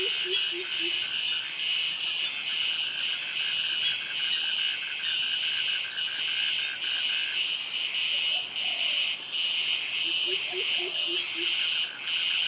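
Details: Dense cicada chorus in a Thai jungle at Krabi, with crickets: a near-continuous shrill, high drone with slight swells, faint mid-pitched ticking in the first half, and scattered short low chirps at the start and end.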